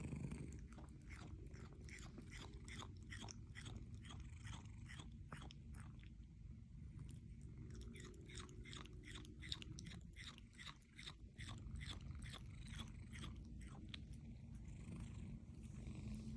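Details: A Munchkin kitten chewing snacks, with quick, crisp crunching clicks repeating several times a second.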